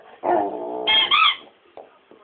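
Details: Rommel, a dog, lets out a brief howl that starts low and steady, then jumps to a higher, strained pitch before breaking off, followed by two faint short whimpers.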